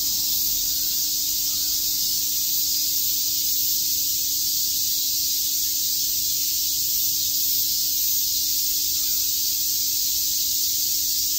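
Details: Cicadas on a summer day at Shakujii Park, Tokyo, producing a bright, continuous sizzle of chirping high in pitch, steady in loudness throughout, with a faint low hum beneath.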